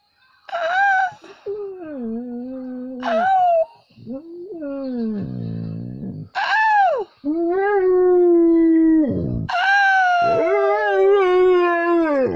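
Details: Pet dog Bolt, indoors while being taught to howl, gives drawn-out, wavering howls that rise and sag in pitch, several separate bouts over twelve seconds, with music playing behind.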